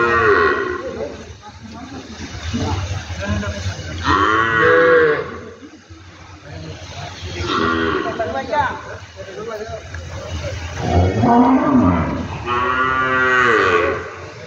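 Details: Cattle mooing amid talk of lumpy skin disease vaccination; repeated drawn-out harmonic moos roughly every three to four seconds, one louder near the end, over a low steady background hum.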